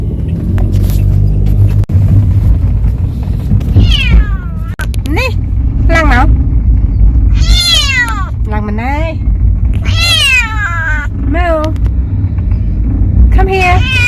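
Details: Talkative pet cat on its first trip, out sightseeing: a string of loud, wavering meows, some rising and falling, several in quick succession, over a steady low vehicle rumble.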